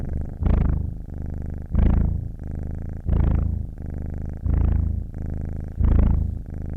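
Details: Cat purr with breathing, low and rumbling, rising in five strong surges about 1.3 seconds apart, each followed by a gentler buzzing phase; quiet surroundings.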